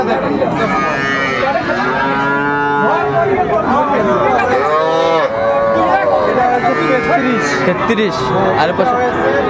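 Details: At Amabari haat on 24 May 2024, several Sahiwal calves purchased by a Kushtia farmer give repeated arching moos, overlapping one another in quick succession, amid a busy market hum and occasional speech.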